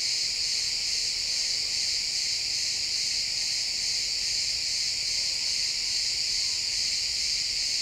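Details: Steady high chorus of many crickets in a pine forest at sunset, stereo XY recording; overlapping chirps merge into an unbroken shrill buzz with an even loudness throughout.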